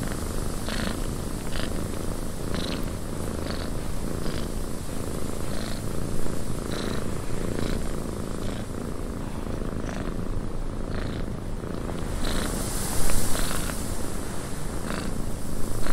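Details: Cat purring in a windy cabin, a continuous deep vibrating rumble with faint soft pulses under a steady wind hiss that swells near the end.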